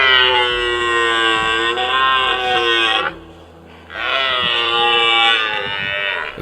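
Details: A red deer stag gives two long, drawn-out, very low, deep bellowing roars during the autumn rut in a Polish forest, challenging rivals and claiming territory and females; the roar carries far.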